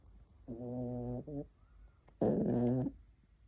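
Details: Sleeping dog snoring: two low, droning, buzzy breaths of under a second each, the first with a short stutter after it, the second louder and rougher, separated by a quiet pause.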